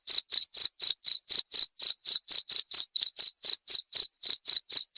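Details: A cricket gives a continuous run of shrill chirps, close to four per second, each a short high pulse with a ringing overtone. The pulses are spaced a little unevenly, with nothing else audible.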